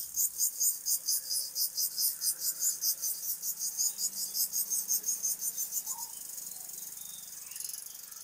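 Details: Crickets call at dawn in a foggy village with a cold breeze, a high, pulsing trill of about four pulses a second, then settling into a steadier buzz.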